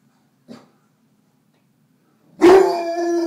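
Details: Male Neapolitan Mastiff confronting his mirror reflection indoors: one short soft bark, a pause, then a sudden loud, sustained, strained vocalization that stays level to the end.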